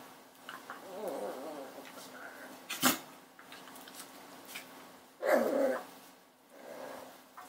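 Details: Puppy indoors in a small room giving low whiny grunts and whimpers over the first two seconds, a sharp click near three seconds, then a louder short yelping burst and a softer whine near the end.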